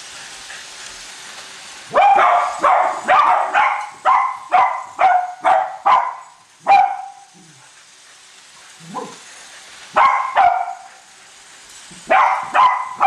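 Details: Cavalier King Charles Spaniels Colby and Shelby, two household dogs, bark excitedly at a new toy train running around the Christmas tree; a long fast series of yappy barks, a quieter gap with soft sounds, then more barking.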